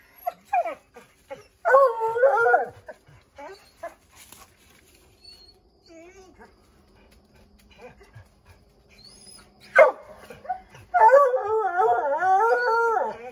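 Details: Redbone Coonhounds Bo, Luke, Lulu, Cooter and Jesse treeing a chipmunk in an oak tree: scattered short barks, then two drawn-out wavering bays, one early and one long one at the end, with quiet gaps between.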